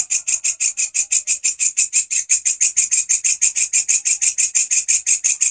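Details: A walang kecek grasshopper sings loudly as tutor sound for canaries and other cage songbirds. Crisp, scratchy chirps come in a quick regular beat near six per second, high-pitched and rattling, with no other clear sounds.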